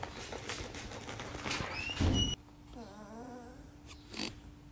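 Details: Sheepadoodle puppies from Coco's litter of nine, seven of them present indoors: a brief high rising squeak, then after the background hum drops out, a soft wavering whimper of several undulating notes, followed by a dull thump.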